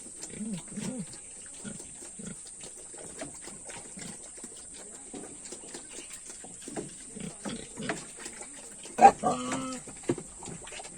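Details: Pigs on a farm at feeding time grunt in short, low, repeated bursts, with a louder squeal near the end.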